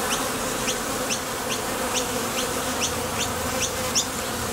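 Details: Steady hive-entrance humming from honey bees heading out to the field for nectar and returning to a Top Bar Hive. Around eight short, high rising chirps punctuate it.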